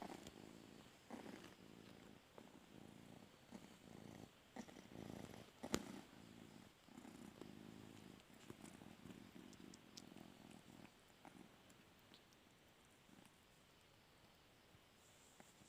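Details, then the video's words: Quiet, steady purring from a cat hoping to sleep on its owner's bed, rhythmic rumbles fading out over the last few seconds in a still room. "Meowing cute cats"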